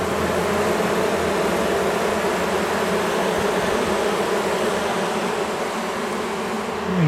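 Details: An angry honey bee colony, long housed inside a house wall, buzzes loudly in the dark during a rescue cutout: a thick, unbroken droning hum, rising sharply in pitch at the very end.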